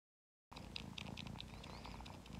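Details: Kitten suckling on a rug as if nursing from its mother, purring softly and steadily. Low rhythmic pulses run beneath faint wet smacking and clicking from the suckling, indoors.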